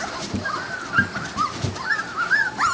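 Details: Young Labrador Retriever pups, three to four weeks of age, squabbling in a dispute; faint wavering whines drift up and down, several overlapping, with quiet thuds and low room noise.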